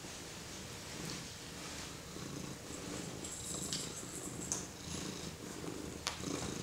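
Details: Pet cat purring while being stroked by a four-month-old baby indoors; a steady, low rumbling purr runs throughout, with scattered rustling and soft clicks from handling.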